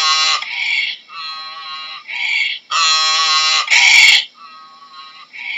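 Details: Donkey braying: a loud, harsh, rasping call that swings between a higher honking tone and a lower wheezing one roughly every second, the loudest bursts around the middle, fading into softer gasps at the end.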